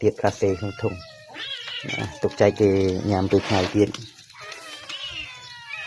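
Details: Cat being fed fish grilled by a monk, letting out long, wavering, rising-and-falling meows between stretches of a man's Khmer speech.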